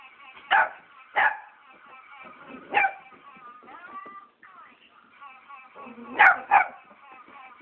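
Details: A Cavalier King Charles Spaniel barks at an Alvin the Chipmunk toy from McDonald's: sharp single barks spaced a second or more apart, over high chattering voices.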